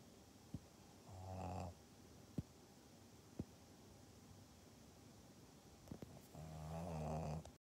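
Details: A Pug in Japan, recorded on 14 November 2020, making two low, rumbling snorting grunts about five seconds apart, with a few sharp clicks and taps in between over steady background hiss.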